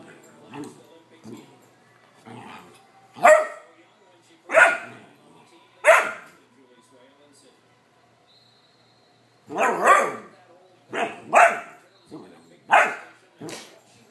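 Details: A 14-week-old male Vizsla puppy barking when bored and not getting attention: loud, sharp barks in irregular bursts, some doubled, with quieter yips between and pauses of a few seconds; a person speaks softly.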